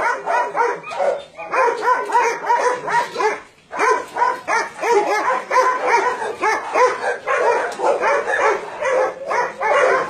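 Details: Dogs kept together on a meat farm and puppy mill in Nonsan, South Korea, in January 2017, among roughly 150 animals of mixed breeds. Rapid, overlapping barks and yips pour out nonstop, pausing for a moment early on.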